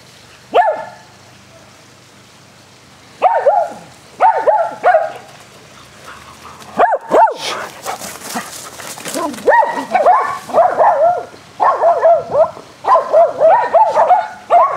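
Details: Dogs barking while playing rough fetch on a spring day, four dogs named Athena, Brando, Rocko and Charlie; sparse single barks early, then dense bursts of overlapping barks, with a brief broadband noise near the middle.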